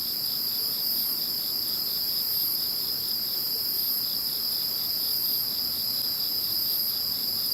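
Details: After Typhoon No. 21 passed, insects keep up a dense, constant chorus of high shimmering trills stacked at several pitches, with soft rhythmic pulsing in a lower band and no other clear sounds.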